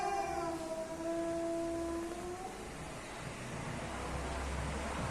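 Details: Male and female cats coming together: a long, steady, drawn-out yowl held for about two seconds before fading into a low background rumble.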